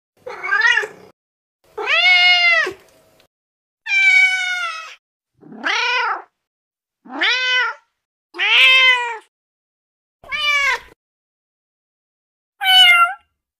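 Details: Female kitten of the domestic cat, its voice used to attract other cats: eight clear, high, harmonic meows, each rising then falling, spaced about one to two seconds apart in a quiet setting with no other sounds.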